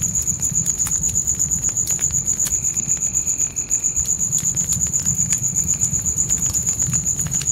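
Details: Night-time crickets in a forest keep up a shrill, regularly pulsed high chirping, about four pulses per second, while a campfire snaps and crackles loudly and flames rumble low.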